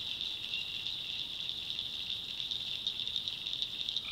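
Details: Nocturnal tree frog chorus from the North Carolina backwoods, an unbroken high-pitched rattling trill pulsing slightly, ending with the start of a lower call.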